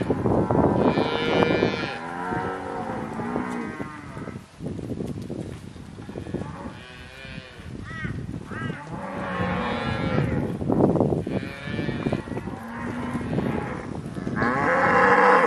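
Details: Cows recorded in October 2023, several animals lowing one after another: overlapping harmonic moos, some rising then falling, others flat and drawn out, following each other every second or two with hardly a pause.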